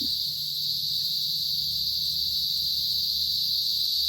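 Cicadas drone in a steady, high, shimmering buzz that holds unbroken from start to finish.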